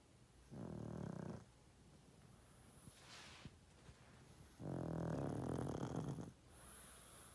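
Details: Loud snoring from a sleeping 12.5-year-old pet pug: two long, rumbling, low-pitched snores, each lasting about a second or more, separated by quiet breathing pauses indoors.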